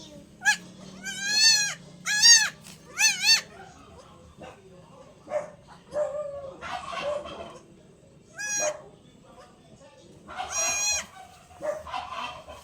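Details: Newborn goat kid at injection time, bleating in quick bursts of harmonic, quavering cries early on and again later, mixed with human talk and handling noises.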